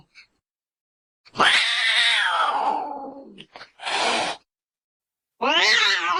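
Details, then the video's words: Cat meowing to frighten a baby into sleep and chase off rats: a long harsh meow falling in pitch, a short rough burst, then a wavering harmonic-rich meow after a pause. "Tiếng mèo kêu. The sound of a cat meowing scares the baby into sleeping"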